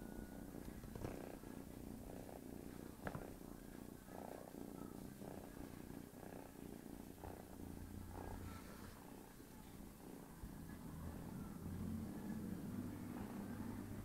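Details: Sleeping cat Tigger, disturbed by a playful kitten, keeps up a rhythmic low purr, its pulsing drone steady across the recording with a few soft thumps of movement.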